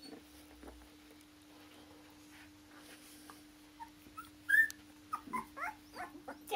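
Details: Akita puppies born 16 November in Hungary, litter of the Japan-born Akita Kotono Go; after a quiet start, sharp high squeaks and short whimpering yelps come in quick succession toward the end over a constant electrical hum.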